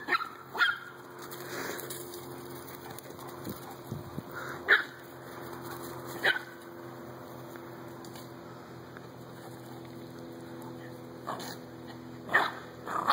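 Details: Dalmatian, American bulldog and Chihuahua romping in a backyard; short isolated barks scattered every few seconds across a quiet stretch, with a low continuous hum throughout.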